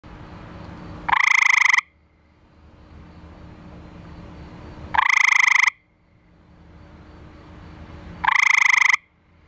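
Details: Male eastern gray treefrog (Hyla versicolor) calling for a mate, found in a backyard pool, then set down and recorded by flashlight. Three loud pulsed musical trills, each under a second, spaced three to four seconds apart, with quiet low hum between.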